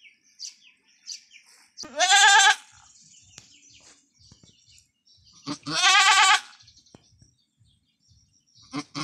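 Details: Female goat Anime labouring through an arduous first birth on a backyard farm, bleating twice about four seconds apart, each call a strained, trembling cry lasting under a second, with quiet rustles and faint chirps between.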